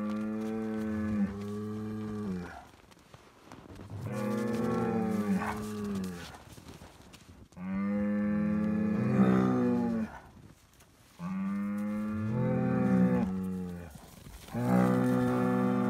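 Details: Highland cattle bull, a Scottish breed kept outdoors year-round on a Finnish farm, mooing as bread is handed out: five drawn-out, resonant moos, each around two seconds, repeated every three seconds or so, with quiet breathing gaps between them.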